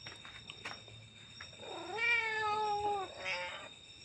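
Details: A cat gives a drawn-out meow that rises, holds steady and then sags slightly. A shorter, fainter meow follows, with a steady high electronic whine underneath.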